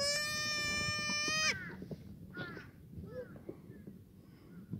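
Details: Korean black goat in a farm exercise yard in Gimhae, South Gyeongnam, South Korea, on a clear sunny Sunday morning, 31 March 2019: one loud, steady, flat nasal bleat lasting about a second and a half, then fainter short calls from other animals in the background.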